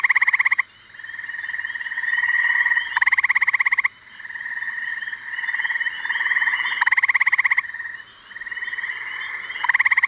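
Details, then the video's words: A gray tree frog near Cumberland gives loud, pulsing musical trills as its mating call. "Listen to this tree frog's mating call"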